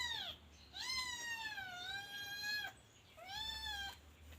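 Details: Scottish Fold kitten Look Tan, at the teething age when it chews everything, meows three times in quick succession, the middle call long and gently wavering, the others short and sliding down.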